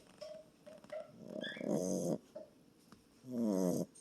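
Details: Small boxer dog asleep and snoring, with short faint nasal squeaks followed by two loud, raspy, wavering snore breaths about a second and a half apart, quiet between breaths.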